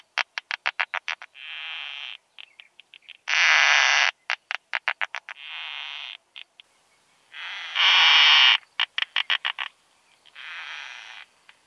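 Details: Song of a keeled plump bush-cricket in Austrian meadows at Zitzmannsdorfer Wiesen, 1 June 2020, via Pettersson D 100 ultrasound detector; fast trains of sharp ticks alternate with loud rasping buzzes and softer hissing phrases, cycling roughly every four seconds.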